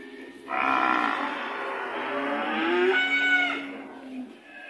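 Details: A single sustained moo from a red cow, steady and harmonic-rich, its pitch lifting slightly near the end before fading out.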